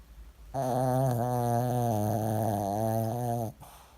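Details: Zoey, a female Maltese cross Shih Tzu, fast asleep after a long walk and a run in the park, gives one loud, steady, low, rattling snore lasting about three seconds, with soft quiet before and after.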